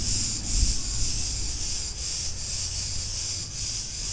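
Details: Chorus of cicadas in a street in Ierapetra on Crete, Greece, giving a steady shrill buzz that dips briefly every fraction of a second, with low town rumble underneath.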